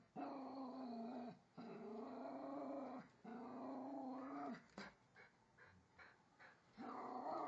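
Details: A rescued female Jack Russell mix, about four and a half years old, growling indoors at a toy train on a track beneath a Christmas tree during her first Christmas; low steady rumbling growls lasting over a second each, repeated with short breaks.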